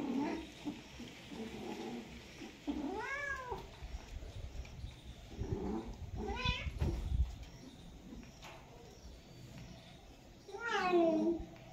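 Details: Domestic cat in mating season giving drawn-out, wavering yowls, each rising then falling in pitch, three separate calls spaced a few seconds apart over a low background hum.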